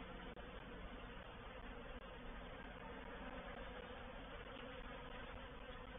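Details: Honey bees of a reproductive swarm entering a swarm trap at Painted Peacock Manor, 04/07/21, fill the air with a continuous, even droning hum; two brief sharp clicks break it near the start.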